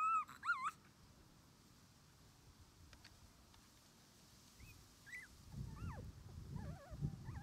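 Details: Male red Shiba Inu puppy, born 24 January 2021, 21 days old, an only pup starting outdoor play with its mother: a burst of wavering high whimpers, then quiet, then more wobbly whines over low rumbling handling noise.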